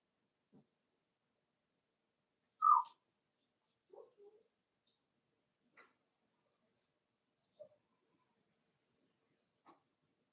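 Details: Cavalier King Charles Spaniel puppies, five weeks old, in Daisy's indoor puppy pen make sparse, isolated squeaks: one sharp, higher yelp stands out, then a few quieter short chirps separated by silence.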